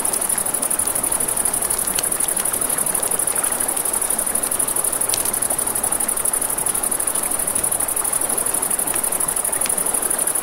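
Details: At night by a river, crickets produce a constant shrill pulsing chirr, layered over crackling firewood with occasional sharp pops and a low, even rush of water.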